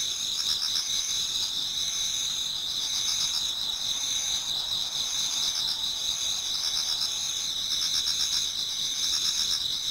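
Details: Many autumn insects singing in a Japanese garden towards dawn: steady high shrill bands layered with pulsing trills that swell and fade every second or two, plus softer rattling bursts lower down, continuous throughout.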